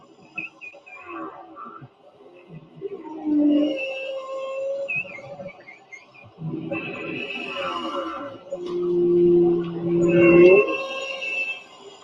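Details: Recorded humpback whale song, sung only by males, played back during a talk: long tonal moans and wavering mid-pitched cries come in phrases, one ending in a sharp rising whoop, with quiet room sound behind.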